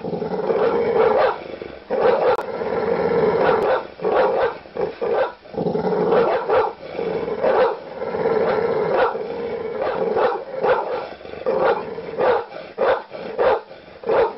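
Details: Angry dog barking repeatedly in quick, uneven volleys, a steady snarling growl underneath, the barks crowding closer together toward the end.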